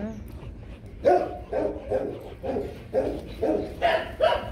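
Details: Rottweilers Loki and Siro at mating time: a steady series of seven gruff barks, roughly one every half second, after a brief quiet start.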